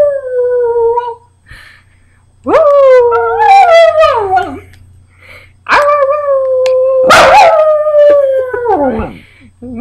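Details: Pet dog Moose howls in a sing-along with his owner on Labor Day weekend. Sustained wavering howls rise sharply at onset, hold, then droop, with a sudden loud broadband burst midway and a faint background hum.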